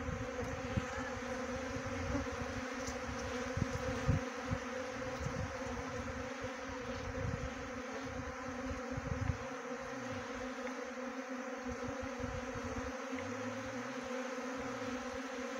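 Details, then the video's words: Honey bee swarm being trapped into a bee box in Uttarakhand, India; a steady low droning hum of many bees throughout, with faint rustling and occasional clicks. "Best Honey Bee Swarm Trapping"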